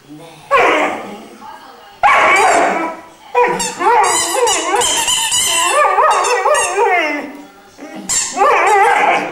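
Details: Three-month-old Irish Wolfhound puppy singing: sustained, warbling howls with wobbling, rising and falling pitch, strung into long phrases over several seconds, interrupted by short yelps and pauses.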